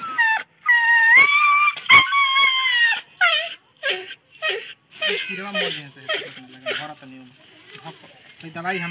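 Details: Badly wounded dog, picked up from a road and unable to walk, cries during treatment: long, high, slightly rising whines for three seconds, then shorter broken cries mixed with human voices.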